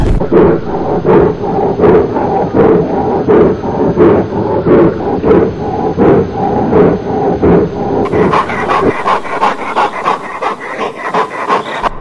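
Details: Eleven-month-old Black Russian Terrier in early protection training, working against a "biorobot" decoy: loud, deep, harsh barks in a steady, driving series of more than one per second, growing brighter and more forceful near the end.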